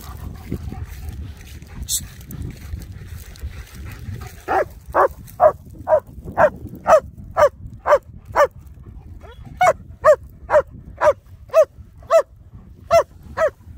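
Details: German Shepherds Nico and Zeeva, muddy and wet during Sunday play, start barking after a quiet opening, then keep up a steady train of sharp barks about two per second with one short pause.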